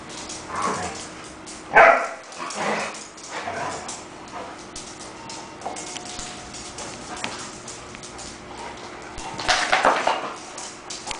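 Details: Dogs at a dog daycare and boarding facility, with scattered short barks, a loud one near two seconds and a burst near the end, over steady background hum and indoor clatter.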